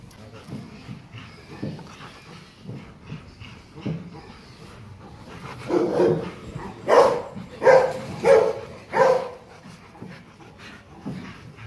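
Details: Gold, a ten-month-old male Rottweiler of about 40 kg at Gervi Kennel, lets out a run of four loud, hoarse barks spaced under a second apart, following several seconds of softer, quieter sounds.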